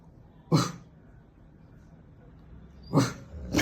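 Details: A female Rottweiler makes a weird sound she often makes: short, breathy huffs, one alone and then a quick pair.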